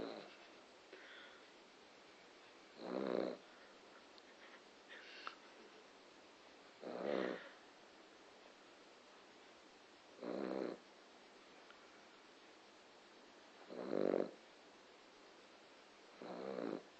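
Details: A sleeping dog snoring loudly at night; hoarse, rasping breaths recur about every three to four seconds over steady background hiss.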